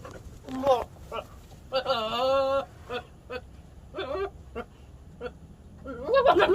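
A male Nigerian Dwarf goat gives a long, wavering nasal bleat among short choppy calls, with a person talking nearby.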